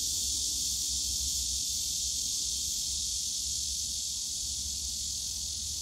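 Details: Summer cicada chorus in the bamboo forest of Yongsan Family Park, Korea: a dense, constant shrill drone with no pauses, sustained at one level throughout, over a soft low hum of distant park noise.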